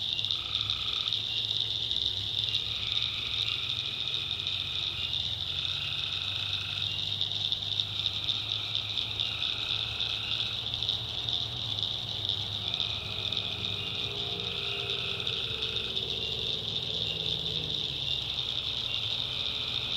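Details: Swamp in the North Carolina backwoods after dark: tree frogs give repeated short trilling calls, several overlapping, beneath a dense, unbroken high buzz of crickets and other frogs.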